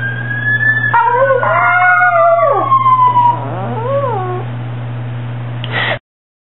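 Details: Piruli, a male pet Chihuahua, howls like a hound dog in response to fire truck sirens, throwing his head back. Drawn-out wavering howls slide downward and then waver up and down over a steady low hum, alongside a siren-like tone, ending abruptly.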